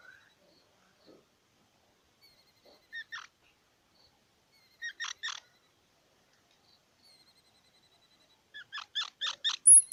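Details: Squirrel giving short, squeaky chirps in quick bursts: a pair near three seconds, a tight cluster of four around five seconds, then a faster run of six or seven sharp notes toward the end, with near silence between bursts.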